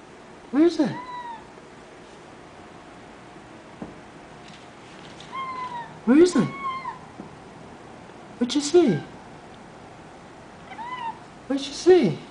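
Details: Female domestic cat talking and chattering her teeth at a dragonfly: four short, sweeping, chirp-like calls spread over twelve seconds, some with fast clicking onsets, while a woman keeps asking where it went.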